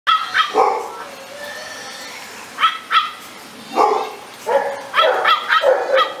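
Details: American Staffordshire Terrier, also called Amstaff, a medium-sized short-coated pit bull breed, gives short high yelping barks in loose pairs and clusters separated by brief pauses, each bark bright and ringing.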